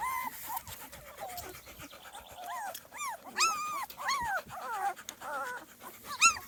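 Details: Two-and-a-half-week-old Small Munsterlander pups outdoors for their first time, giving short, arched whimpers that rise and fall in pitch, several in a row, ending with a sharp, high squeal.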